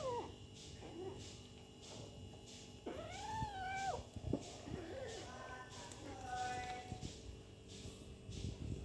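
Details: Kitten playing with its mother cat: several drawn-out meows that arch up and fall back, the loudest near the middle, followed by shorter, thinner mews and a brief higher squeak, over a faint steady background hum.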